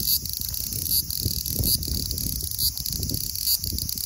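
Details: A large brown cicada (Graptopsaltria nigrofuscata) sings lively at 24°C (75°F), a harsh, sizzling buzz that dips briefly about once a second.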